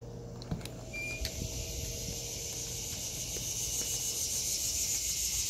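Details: Cicadas in an August 2023 vegetable garden: a steady, hissing high-pitched drone holds without a break, with a brief squeal and faint low rumble of traffic in the background.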